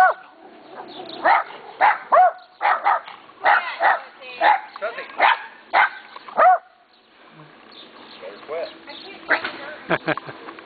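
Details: {'_': 'Several friendly neighbourhood dogs barking on seeing a neighbour: a rapid run of sharp barks through the first seven seconds, then softer, scattered yips and barks after a short lull.'}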